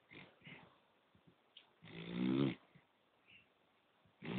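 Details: A poodle asleep gives one long, loud, throaty snore lasting about a second, then short soft snorts, and a fresh snore starts at the end. The room is otherwise quiet.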